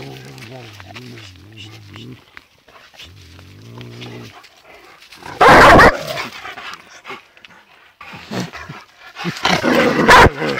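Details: Two dogs meet, one of them a rottweiler, sniffing around each other; low, drawn-out voiced tones open the recording, then a loud sharp bark bursts out midway and another burst of barking comes near the end.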